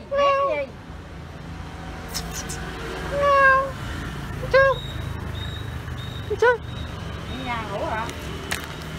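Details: Cat seeing a stranger for the first time gives about five separate meows over nine seconds, some drawn-out and rising then falling, others short and sharp, while a person talks in Vietnamese nearby.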